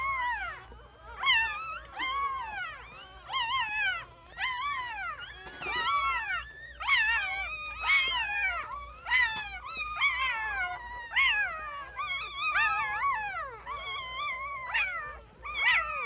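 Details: A litter of newborn puppies keeps up a busy chorus of overlapping whines, short arched cries that rise and fall and follow each other almost without pause, some louder yelps standing out.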